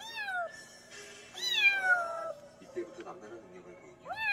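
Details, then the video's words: Kitten meows from a mountain-village kitten, used as a countryside rat-repelling sound: several rising-falling mewing cries, one long drawn-out meow in the middle, with background music and faint voices. "고양이 울음소리 ASMR 시골쥐 퇴치용 효과"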